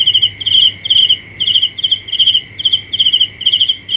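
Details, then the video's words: Cricket at night, chirping in short pulsed bursts about twice a second, each burst a bright trill, over a steady background insect hum. "The best sounds of Cricket 《 Suab Kab Ciliv Quaj Zoo Heev》 ( ສຽງແມງຈີ່ນາຍຮ້ອງດີໆ )"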